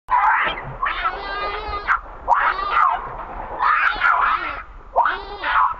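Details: Baby monkey Rainbow with its mother Libby, who is treating the baby roughly. Five loud, wavering screeching cries, each lasting about a second, rise and fall with short gaps between them.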